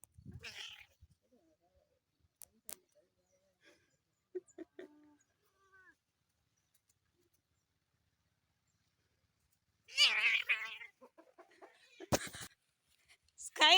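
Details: Protective domestic cat sharing a home with a second cat; long quiet gaps broken by a sudden loud wavering yowl with a harsh edge, then sharp clatters and a final rising cry.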